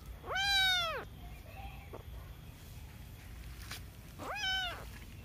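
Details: Domestic cat meowing twice: a loud, drawn-out, arched meow rich in harmonics, then a quiet gap with faint clicks, then a second shorter arched meow. Low background hum throughout.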